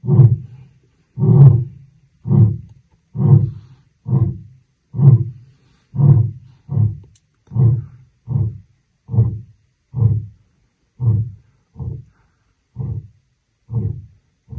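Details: Wild lion in the African savannah delivering a long run of deep, short grunts, about one per second, steady and low, slowly weakening over fifteen seconds with nothing else audible.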